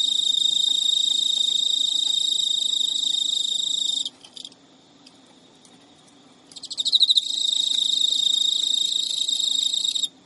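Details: Male Emma field cricket, kept as a pet with a female, courts her at midnight in early September 2011 in Japan as she turns him down; a steady high trill stops for about two seconds, then resumes with accented pulses.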